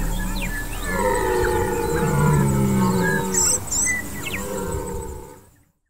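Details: Free-range red stag in New Zealand roaring during the rut, which runs in March and April: one long, deep, drawn-out bellow with a rich stack of harmonics, held for about four seconds before fading out.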